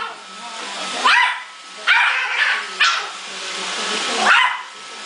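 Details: Male Yorkshire Terrier named Muffin taking on an iRobot Roomba: four or five loud, scattered barks over a constant whirring hum of the vacuum cleaner.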